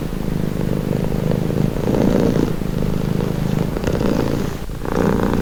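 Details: Continuous cat purr, a low, grainy rumble shifting between a louder inhale and a quieter exhale about every one and a half seconds, with a brief soft scrape near the end.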